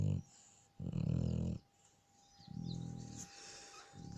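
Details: Shar Pei snoring in its sleep, with low grumbling, growl-like snores repeating at short intervals and softer breathing between them.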